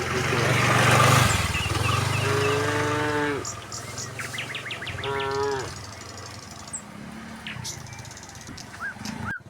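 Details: Tame cattle running down a hill toward their pen in the countryside; a couple of harmonic, slightly wavering moos rise out of broadband rumbling noise, with faint bird chirps around them.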